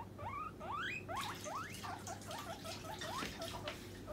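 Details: Hungry guinea pig calling to demand food as treat time approaches: a series of loud rising squeals, several per second, each sweeping sharply upward, with soft rustling and patter between calls.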